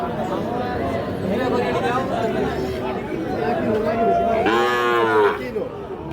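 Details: At the busy Ambari cattle haat in Dinajpur, Bangladesh, a Sahiwal bull calf gives one loud, rich moo late in the stretch, preceded by softer lowing, all under dense market talk and bargaining.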